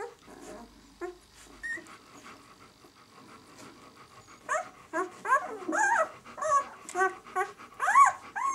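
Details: White German Shepherd pups at six days old, the "of White Night" B litter, give soft rustling sounds and faint grunts at first, then a run of loud, short, high arching squeaks and whines over the last four seconds.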